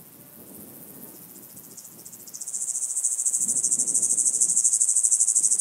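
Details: White-headed Toothed Grasshopper, Sandberge Oberweiden, Austria, 15 July 2020: soft high pulsing that swells after two seconds into a loud, rapid, evenly ticking rasp, with low rustling background.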